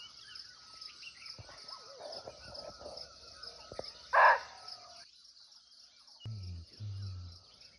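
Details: Barking deer, or muntjac, recorded live in its natural forest habitat in Nepal, giving a single abrupt, hoarse bark midway through. A constant shrill insect hum runs throughout, and low rumbling sounds follow near the end.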